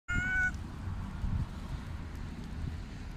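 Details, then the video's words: Tabby cat meowing while rolling on the ground, a single short, clear, level meow of under half a second at the start, followed by low rustling and shuffling noise. "The tabby cat meows and rolls on the ground"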